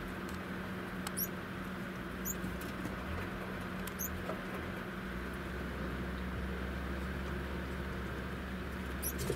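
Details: Mating Cairo spiny mice give short, sharp, very high-pitched squeaks, about five scattered across the stretch, each a quick upward flick, with a constant low hum and soft pattering underneath.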